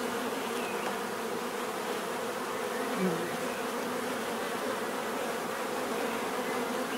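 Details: Bees drone in a dense, steady hum, one brief louder buzz passing close around the middle, over a continuous hissy background.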